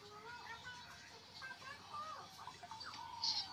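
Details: Newborn stray kitten crying for its mother, searching for milk after crying through the night and trembling; short high mews, some arched and some falling, repeat irregularly over a steady hiss, with a faint voice in the background.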